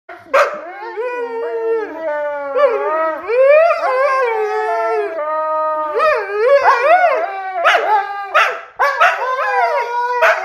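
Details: Two Siberian huskies arguing, trading loud, wavering, yodel-like howls that slide up and down in pitch. The drawn-out vocal phrases break into short rising yelps, overlapping and back-to-back with no pause.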